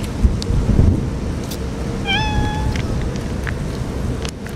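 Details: A stray cat crying out on a stormy typhoon day: a single drawn-out, level meow with strong overtones, set against rumbling wind, rain noise and scattered knocks.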